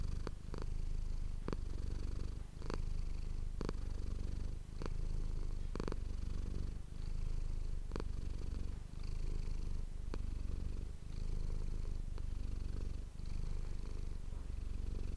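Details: Domestic cat Manis purring steadily near an ASMR microphone, the low rumble pulsing gently with each breath and punctuated by sharp brief rustles roughly every two seconds.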